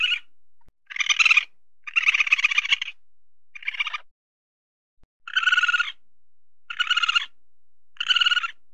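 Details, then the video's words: A weasel (musang) searching for food gives harsh, buzzy chattering bursts, each under a second, repeated with short pauses. "SUARA MUSANG SEDANG MENCARI MAKAN (WEASEL SOUND)"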